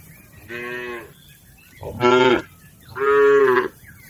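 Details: Lowing from a herd of tame, healthy village cattle grazing in a green field: three harmonic moos, about half a second each, the last two louder and fuller, with soft outdoor ambience between.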